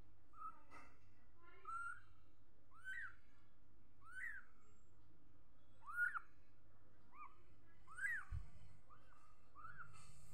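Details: Young cat mewing steadily, each meow a short arched cry that sweeps up and drops away, spaced about a second apart, fairly soft against a constant low rumble.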